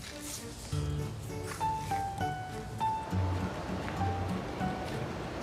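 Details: Soft background music with a low drone and sustained tones, faint speech and rustling underneath; no animal voice stands out.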